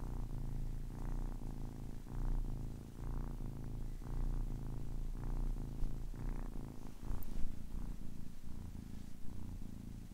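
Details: Ten-week-old kitten purring: a steady low rumbling drone with harmonic bands, pulsing in breaths roughly every second, slightly louder and rougher near seven seconds.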